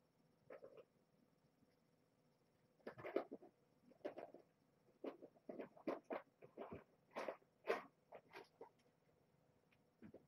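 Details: Domestic kittens of mother cat Marge, the Springfield Kittens, at bedtime in their box inside a kennel cage. About a dozen short squeaky mews come in quick, uneven bursts across ten seconds in a quiet indoor room.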